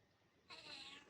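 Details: Brief, high, slightly nasal meow from a hungry, helpless cat waiting to be fed, rising out of near silence and fading after about half a second.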